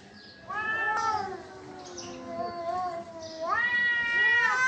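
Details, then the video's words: Cats in a fight, heard as low growling moans that swell into a wavering howl, then drop to a quieter murmur before a louder, rising yowl takes over at the end. "Cats Fighting with real sound"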